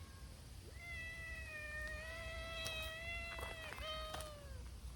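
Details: A brown-tabby-and-white community cat joins a noisy gathering of abandoned street cats cared for by a volunteer. It gives one long, steady, drawn-out meow, then a shorter meow that falls at the end, with faint clicks and rustling nearby.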